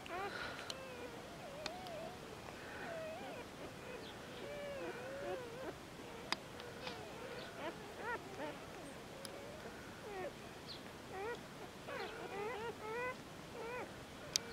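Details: Two-day-old Border Collie pups from GLYCINE's litter of seven, born 14 February 2019 at the Domaine des Tourelles farm, whimpering together: wavering, wobbly squeaks and whines overlapping almost continuously, with a few sharp clicks.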